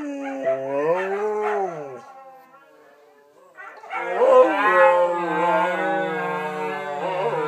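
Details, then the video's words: Several Siberian huskies singing a birthday song husky-style: a rising and falling howl, a short pause, then multiple voices joining in a long layered chorus of wavering sustained woos. "Birthday Woos"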